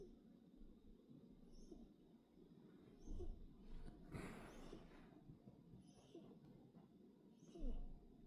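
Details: Kittens asleep and snoring, gentle breathy snuffles rising and fading, with a louder sighing exhale near the middle and another at the end against faint background hum.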